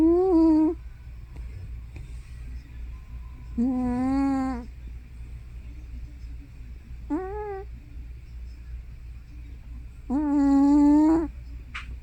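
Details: Hana, an elderly tortoiseshell cat probably over 15 years old, making loud sounds in her sleep, like snoring or sleep-talking. Four drawn-out, tonal, moaning calls, each under a second, come roughly every three seconds over a steady low indoor hum.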